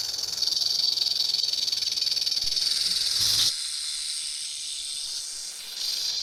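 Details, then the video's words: Rattlesnake rattling: a continuous dry, high buzzing hiss that cuts off sharply after about three and a half seconds, then continues more softly before growing louder again near the end. "RATTLESNAKE SOUND"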